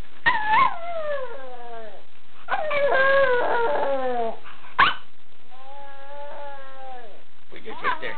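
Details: Toy poodle howling in long wavering tones that slide downward, in three drawn-out bouts with short breaks, a brief yip between them, and faint human voices.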